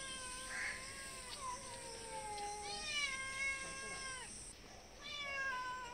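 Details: Cats begging for food in front of a house and door, calling from all sides; long overlapping meows, some falling, some rising then falling, several voices at once over a constant high hiss.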